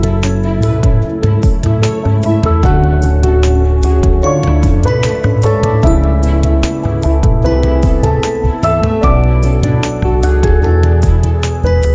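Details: Loud, gentle new-age background music with tinkling tones throughout, no animal sound.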